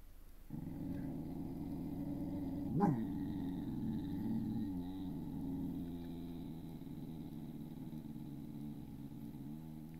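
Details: A 1.5-year-old female beagle gives a low, rough, drawn-out howl that rumbles on almost without a break.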